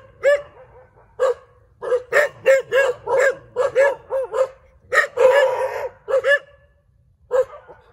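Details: Several dogs barking in a street: a rapid run of clipped, evenly spaced barks, one drawn-out rough bark partway through, then a pause before a final single bark.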